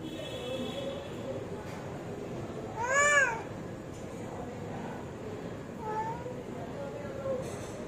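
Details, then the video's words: Hungry cat meowing: one loud, drawn-out meow rising then falling in the middle, followed by two fainter, shorter meows, over a steady background hiss. "Hungry Cat Meowing"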